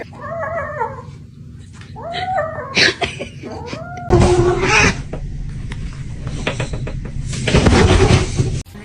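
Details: Cat mewing repeatedly, a string of short plaintive meows that rise and fall, followed by loud crashing, rustling noise and a person crying out.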